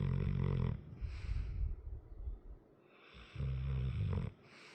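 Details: Asleep indoors, a heavy 100 lb male dog with a long-standing crusty nose gives loud, throaty snores: a grinding rumble at the start, softer snuffling breaths, then another strong rasping snore.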